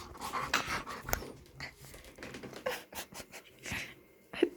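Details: Chihuahua and pit bull sharing a home indoors after the little dog was taken in, with breathy rapid panting and scattered snorts, plus a woman's voice over the top.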